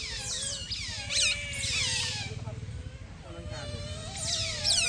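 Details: Playful otters basking in sunshine, making a run of shrill descending squeaks that sweep down from very high pitch, overlapping one another over a constant low rumble.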